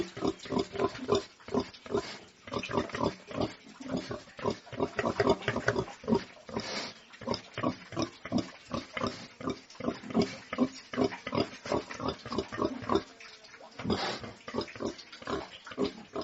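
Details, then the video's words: Farm pigs, domestic, giving rapid rough grunts and snorts in dense irregular bursts, with a brief lull near the thirteen-second mark before the grunting resumes. "SOUND OF PORK - PIGS ON THE FARM"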